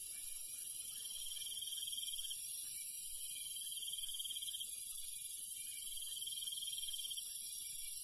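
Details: Crickets and other night insects in the rural countryside singing together after dark. High, steady shrill tones overlap while a lower trill pulses quickly in recurring phrases of about two seconds. Quiet rumbling noise sits underneath.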